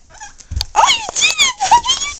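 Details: Snoopy the puppy, playing indoors, makes a run of loud, high, harmonic whines and yelps. Each rises and then falls, closely spaced over two seconds. A person's voice is heard nearby.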